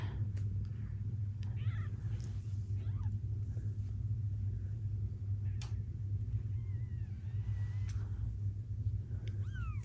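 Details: Gambit, a blue bicolour ragdoll mother cat kept by breeders in Australia, purrs around giving birth and tending newborn kittens: a steady, deep, continuous rumbling purr through the whole stretch, with a few faint, thin high kitten squeaks above it.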